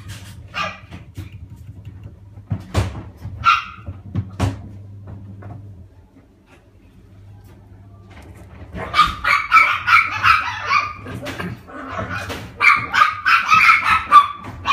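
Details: Black male Shiba Inu puppy, born 30 January 2015, kept in a pet shop. A few sharp isolated sounds come first. From about nine seconds, bursts of rapid, high, yipping barks follow over a steady low hum.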